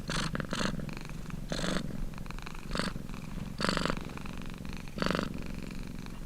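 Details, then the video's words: Domestic cat purring close up: a low, continuous rumbling vibration with breathy, louder surges at a regular pace of roughly one to one and a half seconds, the steady rhythm of inhale and exhale cycles. "CAT PURRING"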